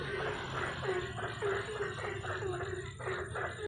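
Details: Ambon frogs at night giving quick, closely spaced croaks, nearly two per second, rough and throaty, layered over a continuous high electric-like hum.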